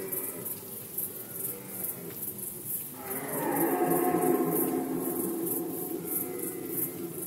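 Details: Red deer in Poland during the 2020 rut season, a quiet start giving way to a sustained, rough, groaning roar that holds for several seconds, over a faint, regular high-pitched pulsing.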